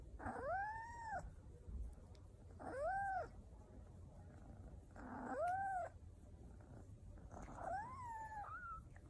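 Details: Domestic cat giving four long, drawn-out meows, each rising then falling in an arched, whining contour about two seconds apart, the last one wavering; low room hum underneath.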